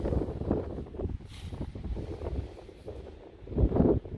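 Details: Gusty wind buffeting the microphone with low rumbling noise, and no animal voice is heard.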